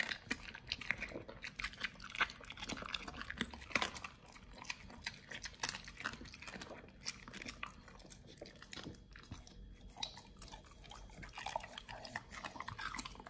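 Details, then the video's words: Raw quails crunched by Nomyen, a Pit Bull fed raw meat. Nonstop bone-cracking bites and moist mastication, many sharp snaps per second, with a brief lull near the middle before the chewing picks up again. "nomyen the Pit Bull SOLO VS. Quails [ASMR] | BARF | MUKBANG 動物の咀嚼音"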